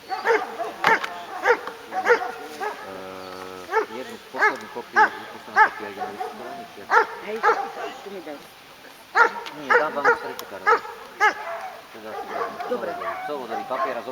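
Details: Hovawart dog Damien Dexter at an obedience exam (Skúška Ovládania Psa) in Handlová, Slovakia, on 14 July 2013, scoring 90 of 100. Short sharp barks repeat about once a second, with a brief pause, over people talking nearby.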